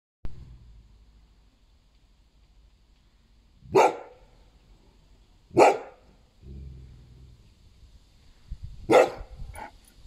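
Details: A Golden Retriever barks at a neighbor: three loud, deep single barks spaced a couple of seconds apart.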